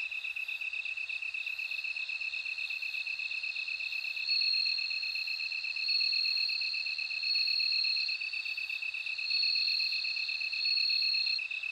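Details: Bell cricket song. Repeated bright, ringing high trills, each lasting about a second, rise over an unbroken, evenly pulsed high-pitched insect chorus.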